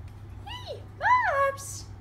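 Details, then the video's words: Babs, a Thai traditional Siamese kitten three months old, born 26 October 2015, talks back in response to her owner's voice: a short falling mew, then a longer arched meow, then a brief breathy hiss. "Babs the Siamese (Thai) talking kitten"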